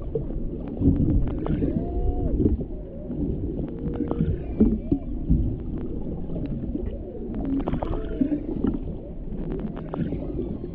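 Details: Humpback whale mother and calf recorded underwater: a series of arched and bending tonal moans in the low-middle range, some rising then falling, mixed with crackling clicks, pops and bubbly water noise throughout.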